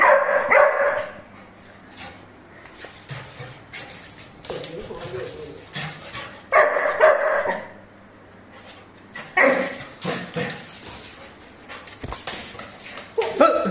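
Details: Young Labrador Retriever, a new puppy, gives scattered high yappy barks and yips amid laughing human talk and background noise; barks come in short clusters several seconds apart.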